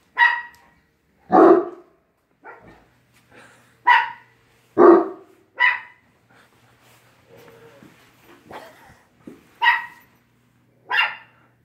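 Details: Quidam the dog barking at WAG!, backed up by Bella, a 7-pound dog; a burst of about ten irregular barks over twelve seconds, sharp higher-pitched yaps alternating with a few deeper, fuller barks, with quiet gaps between them.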